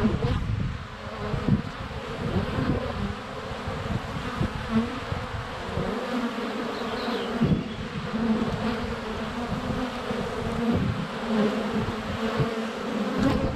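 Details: Honey bees in flight around a hive entrance on a sunny February day, filmed with a GoPro Hero 7 Black under a foot away; dense continuous buzzing with low humming bands and bumps as bees land on the camera.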